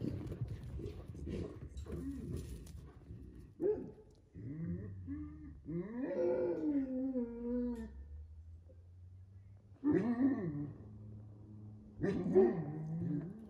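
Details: Two Central Asian Shepherd guardian dogs (Alabai) give drawn-out tonal whines that bend up and down, in bursts separated by short pauses, with rougher low grumbling at the start.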